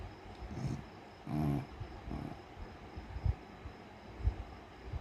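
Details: Beagle snoring while sleeping: a few low, rough, rumbling breaths, the clearest and loudest near the middle, with quieter snuffles before and after against a soft background hiss.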